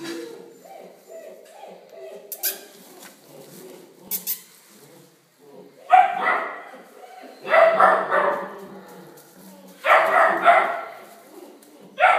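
An Alaskan Malamute gives loud, rough bursts of barking and yowling, with quiet voices and clatter before it.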